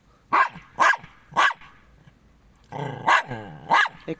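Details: Jack Russell Terriers Treisy and Azzuro give three sharp, loud barks about half a second apart. A short whining, growly stretch follows after a pause, then two more barks.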